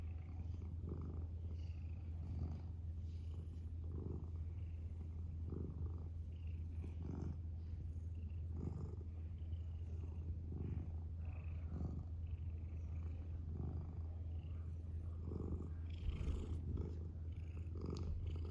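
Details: Pet cat purring at length: a constant deep rumble with regular breathing swells about every second and a half, steady and unbroken throughout.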